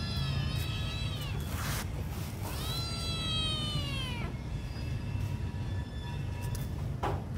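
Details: Hungry small kitten crying: a short meow, then a long, drawn-out harmonic meow that rises briefly and slides down, followed by a faint trailing cry, all over a steady low background hum.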